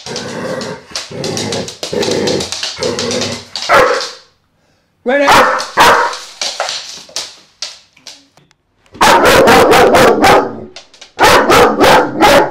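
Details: Vito, a loud-barking dog, lets out a long stretch of rapid barks with some voices mixed in, a pause, then bursts of hard, closely spaced barks repeated several times.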